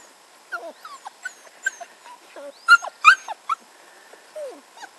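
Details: Red standard poodle puppies playing and exploring outdoors in a back yard give short, high, squeaky whimpers and yips in scattered bursts, with thin bird chirps higher up and a faint steady background hum.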